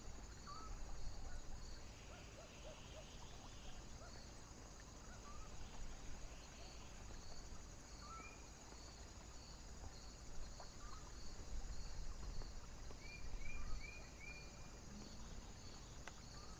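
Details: Crickets calling on a foggy, windy night: short, high chirps repeated steadily in a fast, even row, under a heavy low rumble of wind, with scattered brief whistled notes from other creatures.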